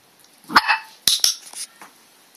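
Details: Red merle Cardigan Welsh Corgi puppy, 8 weeks old and one day in a new home, barking on command indoors: one sharp yap followed by a second short bark and a faint third, with a person's voice giving commands in Dutch.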